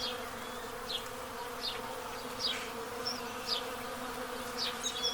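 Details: Honey bees at a hive entrance in Pennsylvania during the total solar eclipse of April 8, 2024, a steady droning buzz with layered low tones, while house sparrows chirp repeatedly in the background.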